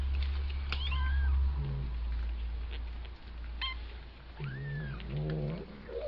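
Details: Two-week-old kitten learning to walk gives several short, high mews, some arching up and falling, others clipped and thin, spaced a second or more apart over a steady low rumble and soft handling noises.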